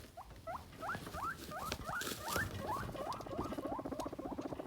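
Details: Guinea pig rumbling during a rumble strut: quick rising squeaky chirps repeated about three times per second over a low, pulsing vibration, with indoor background noise.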